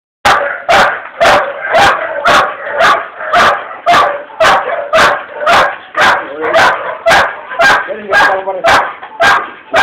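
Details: Female pit bull kept as a pet, barking in a sharp, loud, regular series of about two barks per second, each a short harsh burst with a rough tone.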